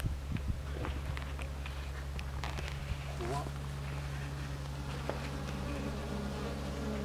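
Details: Japanese honey bees in a stacked-box hive on 27 March 2015 while a box is added: a steady low droning hum with layered tones, and scattered clicks and knocks over it.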